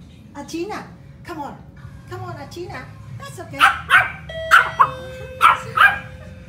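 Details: Pomeranian dog reacting to the doorbell with a woman reassuring it. Her speech fills the opening, then five or six piercing, high-pitched yaps follow roughly every half second, alongside a steady ringing chime.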